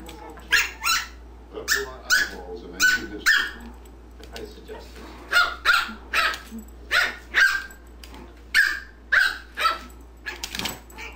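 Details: Steady, repeated barking as JubJub and Daisy, the black-and-white dog, play together: short loud barks, often in pairs, roughly every half second to a second, with brief pauses between bursts.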